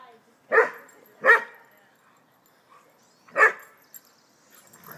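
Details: West Highland White Terrier playing with a visiting mixed-breed dog; three sharp, loud barks, two in quick succession and a third about two seconds later, then quiet background.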